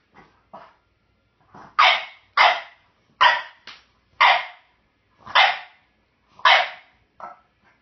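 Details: Pet French Bulldog demanding a bone held by a jack russell/rat terrier mix: a steady series of seven loud, rough barks about every three-quarters of a second, with faint yips between them.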